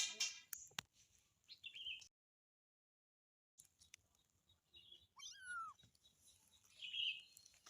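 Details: Kitten calling to its mother with a single falling meow near the end, surrounded by rustling, brief high squeaks and a short silent gap.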